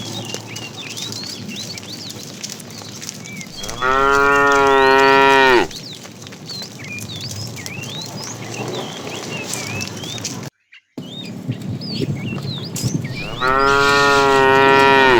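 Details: Tame cow herded in the afternoon, a fat cow calling to the female: two drawn-out, even-pitched moos about ten seconds apart, with busy small-bird chirps in the background and a brief cut in the sound.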